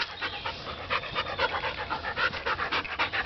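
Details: Border Collie panting rapidly during obedience training indoors, with commands to lie down and stay; quick breathy huffs about four per second, uneven in strength.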